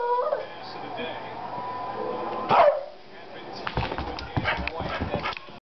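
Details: A beagle named Annie gives a drawn-out, wavering howl that ends in a loud, falling cry, with talking afterward.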